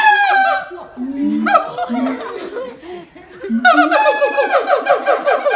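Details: Siamang pair duetting in harmony, the young one staying quiet; a voice said to carry four kilometres. Rapid harmonic barks give way to deep booming notes, then a fresh burst of quick, stacked yelping calls.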